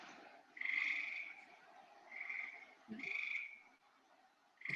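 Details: Gray tree frogs trilling in late summer from trees: two frogs in different trees call back and forth. Each high, even trill lasts under a second and the calls follow one another roughly every second over a steady hiss.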